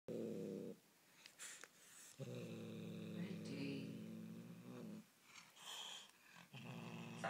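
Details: Angry Bengal kitten growling while refusing to let go of toy prey: low, rumbling, buzzy growls in sustained bursts of one to three seconds, separated by brief pauses with soft rustling and handling noises.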